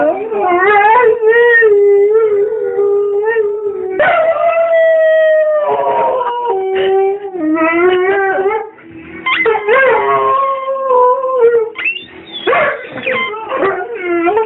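A Rhodesian Ridgeback howls steadily, holding mournful notes that bend up and down like singing. Brief yelps and breaks cut between the longer drawn-out phrases.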